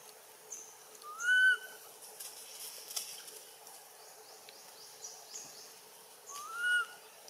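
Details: Baby macaque Anissa crying to her mother Anna for help, Siem Reap Province: two arched, whistled cries rising then falling, about five seconds apart, with faint scattered chirps and a soft background hiss.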